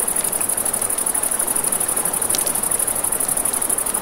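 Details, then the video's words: Riverside crickets at night, a bright high-pitched trill with a rapid, regular pulse, heard over a soft rush of water and light snapping of campfire flames. "1 Hour of Crackling Fire, Crickets, Ambient Nature Sounds"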